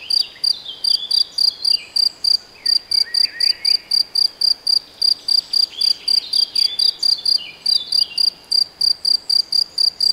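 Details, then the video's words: In Debrecen's Nagyerdő forest in Hungary, a cricket chirps close by in rapid, regular high pulses, nearly four each second, while soft bird twitters sound farther away. "Tücsök vagy szöcske? - Hangfelvétel a debreceni Nagyerdőben"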